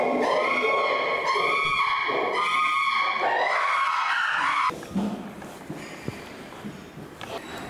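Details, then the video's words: Screaming chimpanzee Flynn directed at Jambo: several strained shrieks pulsing in quick succession, then a sudden drop to quieter background with scattered knocks and thuds. "Chimpanzee Flynn Screaming At Jambo"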